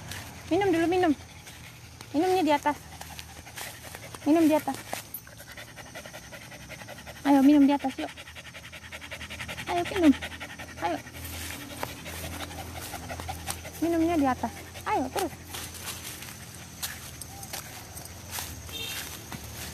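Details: Dog giving short, tonal whining yelps in bursts every two to three seconds, each rising then falling, with panting and human voices between them outdoors.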